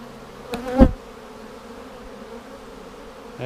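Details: Colony of honey bees during a queen cell check after a vertical split, March 10, 2019: a low, steady droning buzz with a loud thump of handling early on and a brief voice at the close.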